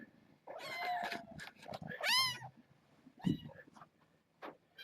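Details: Kittens of a litter born August 29th, indoors with an adult cat named Kougra visiting; high rising-falling meows, one long arching cry, mixed with soft rustling and brief handling noises.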